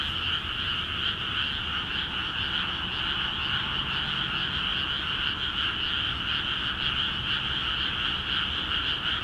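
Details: Rice paddies in Akiha Ward, freshly flooded, alive with frogs calling; a continuous, rapidly pulsing croak chorus in two layered pitches, uniform in volume, faint low hum in the background.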